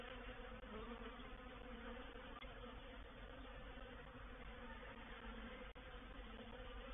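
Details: Honey bee reproductive swarm entering a bait hive on 04/07/21, heard as a thick, continuous droning hum from countless wingbeats, low and even in pitch, with a couple of brief clicks breaking the wall of buzzing.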